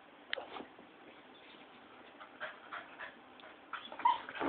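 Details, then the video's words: A pet dog barking at lights: scattered short, faint yips and whimpery barks over a steady background hiss, with a louder, sharper yelp near the end. "crazy dog barks at lights"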